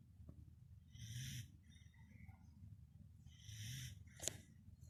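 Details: Sleeping Pembroke Welsh Corgi snoring at home: two breathy, wheezy snores about two and a half seconds apart over a low background hum, with a brief sharp click near the end.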